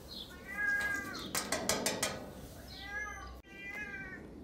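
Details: Domestic cat indoors meowing while its owner calls it to come up; two soft, drawn-out, slightly falling meows separated by a stretch of clattering and rustling, with the owner's quiet voice nearby.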